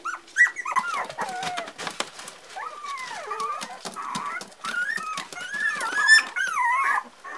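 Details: Parson Russell Terrier puppies, four weeks old, giving drawn-out wavering whines that rise and fall, some sliding downward, interspersed with brief squeaks and clicks, in a small indoor space.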